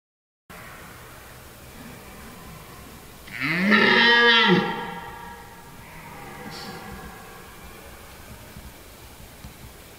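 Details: A red deer stag in a forest during the rut gives a single deep, harmonic roar that rises and then falls away.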